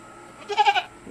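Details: A pet goat that has just given birth on a rural farm in the Philippines, as a newborn kid arrives: a short, wavering bleat of about four quick pulses lasting under half a second, with a faint steady hum behind it.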